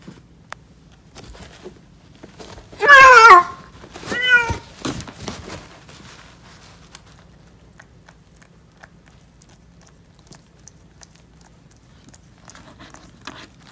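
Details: Calico cat Candle, giving birth to five kittens as a mother for the second time, lets out two loud meows: a long wavering, strained cry, then a shorter rising-falling one, followed by faint clicks over a low steady hum.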